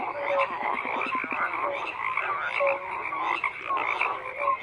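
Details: Frogs calling in a thick chorus: a fast ratcheting croak early on over a bed of overlapping rasps and scattered short whistled notes.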